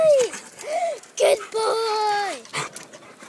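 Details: Pet Labrador retriever eating his dog house lets out clear high whines: a short falling one, a brief arched one, then a longer level whine that drops at the end, with a person's voice nearby.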